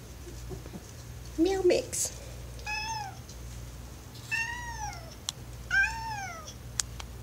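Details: Cat; meow; asking to be let downstairs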